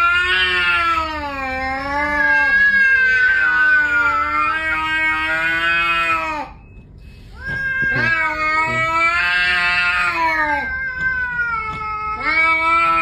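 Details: Cat 'talking' in a funny indoor moment: long, drawn-out yowling meows with rich harmonics. The pitch bends up and down in wavering phrases. Two sustained vocal runs are split by a brief pause, and the cat dominates throughout.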